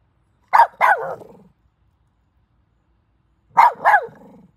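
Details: A squirrel that visits a house every morning to play with the dog gives short, harsh double barks, each pair trailing off into a rough, fading chatter.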